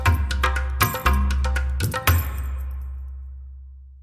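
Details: Short percussive musical jingle with wood-block knocks and bright clangs fading into a low sustained tone, with no animal voice heard.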